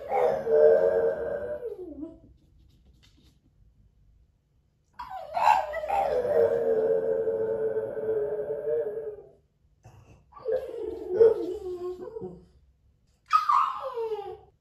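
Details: Moto-Moto, a French Bulldog howling while left alone indoors on hidden camera: a series of long, drawn-out howls lasting two to four seconds each with silent gaps between, ending in a short, higher, falling cry.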